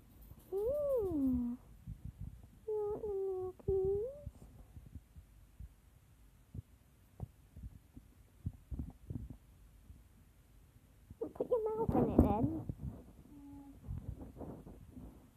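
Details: Kittens playing indoors, two new family kittens, black Ebony and Felix. A drawn-out falling meow, then a second wavering call, with people talking nearby and soft knocks and bumps around the room.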